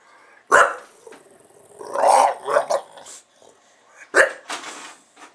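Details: Pet male bulldog reacting as soon as a camera is switched on: two sharp, loud barks about three and a half seconds apart, with a rougher, growly vocal stretch in between and quieter grumbling noises after.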